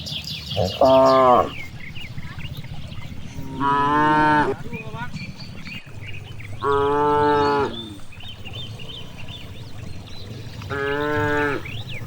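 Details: In a wide rice field, grazing cows moo four times at roughly three-second intervals, each call brief and harmonic, while birds chirp and twitter in the background.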